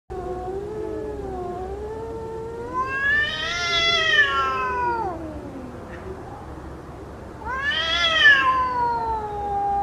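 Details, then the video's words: Fighting cats produce long, wavering yowls that climb into a strained peak and slide down, then a second rising howl starts near the end, over a faint steady background hiss. "cat fighting"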